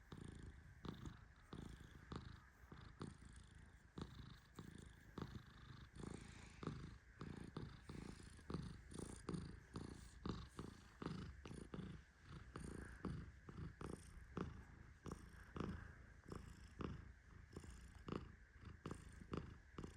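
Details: Male Persian cat Tehran snoring in deep sleep while petted; a low, uneven rumble rises and falls in short swells, about 47 per minute, with frequent sharp clicking taps on top.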